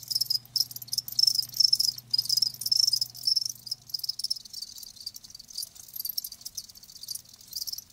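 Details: Live crickets produce a dense trill of high chirps, loudest in the first half and then softer, with a low hum that stops partway through.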